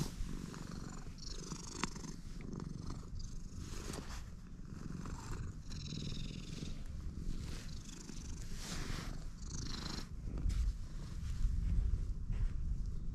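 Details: Stray cat purring loudly right after being met: a deep continuous rumbling purr dominating throughout, pulsing with its breathing, with scattered rustling and handling noises, louder near the end as it presses close.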